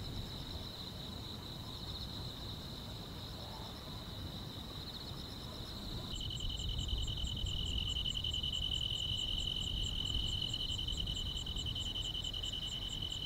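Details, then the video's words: Summer-night grass insects calling in a quiet rural setting. A steady shrill trill continues, then a brighter, louder tone and rapid high ticks join midway. A low rumbling hum sits beneath throughout. "여름밤의 포근한 풀벌레 소리"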